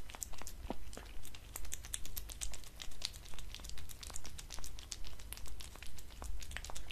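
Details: Indoor cat at a glass table chewing dried fish, creamy treats and cat food, giving a regular run of sharp crunchy clicks grouped in rhythmic bursts over a faint low background hum.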